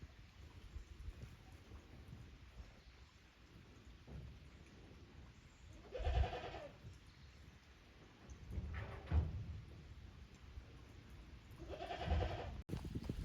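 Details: Young kid goats from the lower pasture visiting the upper pasture at Yoshigake goat farm on 15 May 2024, unsettled in the unfamiliar place; three wavering, nasal bleats spaced about three seconds apart over a low background rumble.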